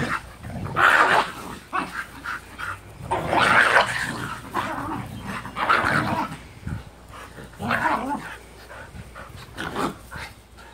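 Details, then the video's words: Husky and Japanese Spitz/Pomeranian mix sisters playing together, the younger one standing up to her older sister; rough growling barks in bursts about every two to three seconds, strained and throaty, with brief pauses between. "Keena and Keilani Sisters At Play Four Legged Husky and Japanese Spitz / Pomeranian mix"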